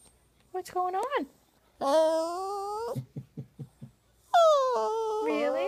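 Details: Crying male poodle, Buddha, indoors: a short rising-falling whimper, then a long sustained wail that climbs gradually, a run of quick soft grunts, and another long wavering wail.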